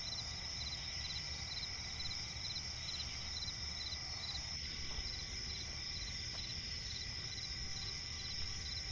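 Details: Crickets chirping at night in a swamp forest: a dense, continuous high-pitched chorus with steady trills and rapid pulsed chirps, over a low ambient rumble.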